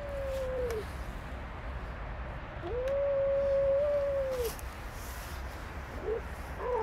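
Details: Stray female cat attacked by three males: long, steady, wailing moans held at an even pitch, one lasting nearly two seconds, with a short falling cry before it and brief yelps at the end, against low street noise.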